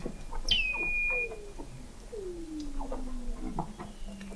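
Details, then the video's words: Weddell seals recorded in November 2017 by the McMurdo Oceanographic Observatory, 21 m below the sea ice in McMurdo Sound, Antarctica: a sharp descending whistle settling into a steady high tone, then long gliding downward sweeps and scattered chirps. "Song of the Antarctic Weddell Seal"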